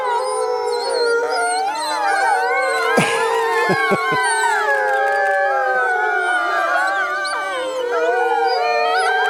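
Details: Pack of captive Arctic wolves howling in chorus in an enclosure of roughly 20 animals at Omega Park, Montebello, Quebec; sustained, sliding, overlapping howls at several pitches, with a few brief thuds or clicks partway through.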